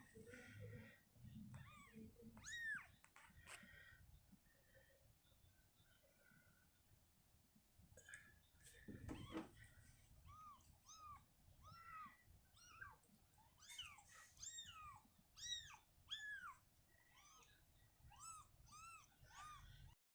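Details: Indoors, as the mother cat Shizuka shifts her kitten out of a cabinet to open space, short high arched mews come in a quick irregular series, thickest in the second half, with a thump and rustling mid-way.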